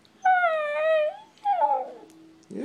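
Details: A 17-month-old female Siberian Husky talks in a drawn-out, wavering howl, then a sliding, falling whine, asking to go outside while landscapers work there.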